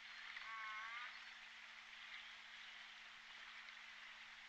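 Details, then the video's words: J Pod orcas heard on the Point Robinson hydrophone, 14 December 2021. A short, faint harmonic call with gently wavering tones rises out of dense underwater hiss in the first second, then only the noise continues. "Hydrophone J Pod Orcas"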